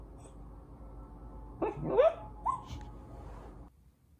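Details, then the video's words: Welsh Corgi making noises while sleeping, a restless sleeping habit; a few short, soft yelps and whimpers with rising pitch clustered over about one second, then quiet with faint background hiss. "다이나믹 코기 잠버릇"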